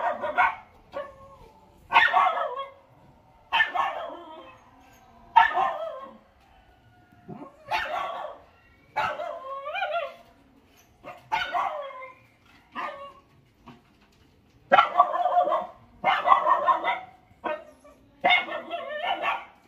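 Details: Four Lhasa Apso puppies: high, yapping barks in short ragged bursts, roughly every one to two seconds, about a dozen volleys with brief silences between them.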